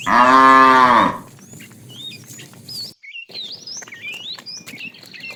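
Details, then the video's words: ['Afternoon herding of a tame cow herd; a fat cow calling the female gives a loud moo of about one second that falls away at the end, then steady chirping and whistling birds.'] "The funny sound of a fat cow calling the female"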